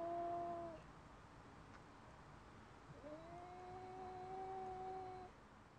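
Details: Domestic cat named Loki, defending her space, faces off through a window against a neighbouring cat from a few flats down, howling: long steady drawn-out wails, one brief at the start and a longer one rising then holding level for about two seconds, indoors.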